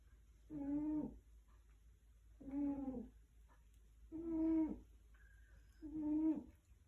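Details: A tiger snoring: four deep, rumbling harmonic snores, each about half a second to a second long, repeated roughly every one and a half to two seconds, with a faint whistle between the last two.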